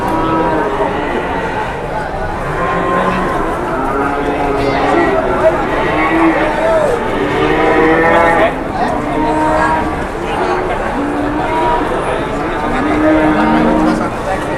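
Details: Big cattle brought in and sold in Indonesia; a chorus of drawn-out, wavering moos from several animals repeats throughout, mixed with people talking nearby.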